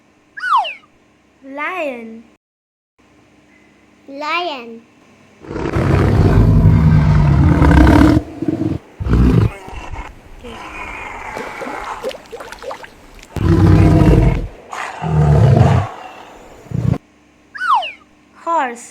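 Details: Lion roaring in a children's animal-sounds lesson: deep, rumbling roars in two long bursts, the first lasting about three seconds. A child's voice names the lion before and after the roars.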